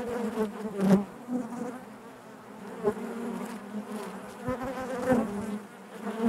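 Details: A colony of honey bees droning inside its hive, a low continuous buzz with soft swells and dips and occasional close individual buzzes and light clicks.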